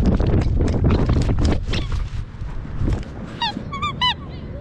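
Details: Border Collie on a day out at the park; after a stretch of rustling and low rumbling noise, three short high whining yelps with bright stacked overtones come close together near the end.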